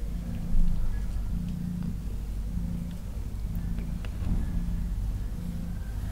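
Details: Newborn kittens, two of them, lying calm in a basket: a low rumbling purr comes in steady bursts roughly every second with brief pauses between, over faint scattered clicks and soft background noise.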